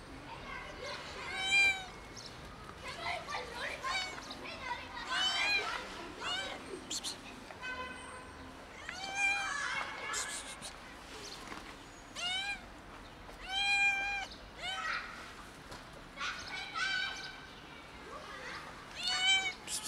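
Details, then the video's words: A kitten meowing hard while tumbling gives loud, arched, harmonic-rich meows, repeated every one to two seconds in a steady insistent series, with faint background voices. "Kitten meows hard and tumbles"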